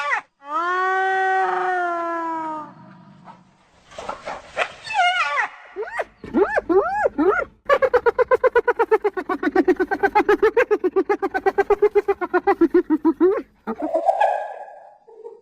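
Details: Spotted hyena calling to keep in touch with its group: a long, steady moaning note, some groans and rising yelps, then a sustained run of rapid, rhythmic laughing giggles, about four per second, ending in a short squeal.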